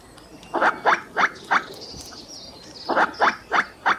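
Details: Squirrel calling: short harsh chattering notes in two bursts of four, each note a quick rasping bark, roughly three per second, with a gap between bursts; thin high chirps above.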